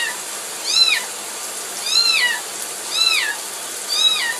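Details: Four evenly spaced plaintive meows from a kitten upset at being bathed, each bowed and dropping in pitch, about one per second against a continuous background hiss.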